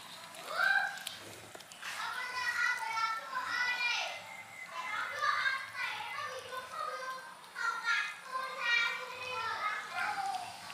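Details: Several kittens calling to be fed, a near-continuous chorus of overlapping high-pitched mews, each rising then falling in a short arc, crowding one another throughout with barely a pause.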